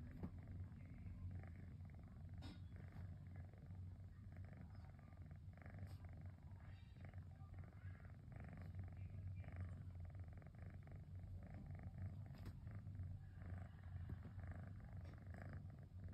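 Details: Cosmos the cat purrs on a rainy afternoon while relaxing: a deep, steady, motor-like vibration holding evenly for the whole stretch, with scattered light ticks and rustling.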